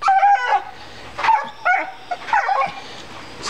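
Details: A female dog cries after finding a big rock in the yard, as she does every time. She gives high, wavering whines in short bursts, with steady low hum in the background.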